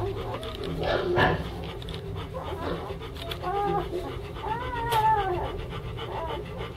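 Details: Young German Shepherd puppies of a kennel litter, three males and two females, letting out brief squeaks and a wavering, rising-then-falling whine near the end, over a low background rumble.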